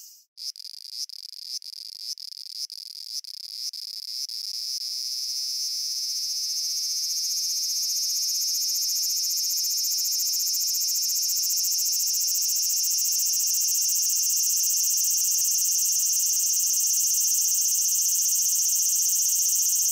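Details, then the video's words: Cicada singing in Japan: a few quick clicking pulses at the start, then a steady, shrill high-pitched buzz that builds over several seconds and holds unbroken to the end. "Cicada Sounds and Cicada Songs"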